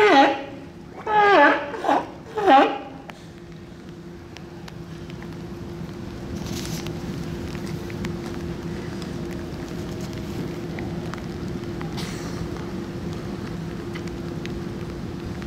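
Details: Sea lion. Three hoarse, harmonic barks from a sea lion come close together at the start, each rising and falling slightly. After that only a steady mechanical hum and faint background noise remain.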